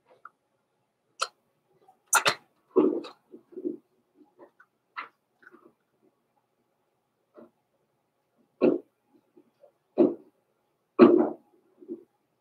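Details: Indoor puppy pen at Christmas with blenheim Cavalier King Charles Spaniel pups Roman and Blue, born November 14, 2022; sharp high yelps and short barks in bursts, a cluster around two to three seconds, then three louder barks near the end.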